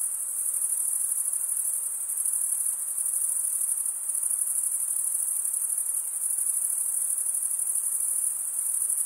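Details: Male crickets stridulating, rubbing one wing's toothed vein against the other, produce a continuous, very high-pitched pulsing trill that holds steady for the whole stretch, with a soft hiss lower down.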